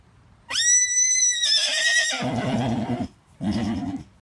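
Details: Miniature Horse stallion, 15 years old, with a toy; a loud, high, clear whinny holding steady about a second, then breaking into a rough, juddering descending neigh, followed by a short shaky burst.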